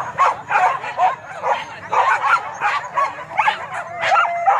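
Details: Dogs on a wild boar hunt at Kayu Ampek, Tanjung Emas district, Tanah Datar: clear bursts of excited barks and high yelps repeated in quick clusters, several animals overlapping, little other sound.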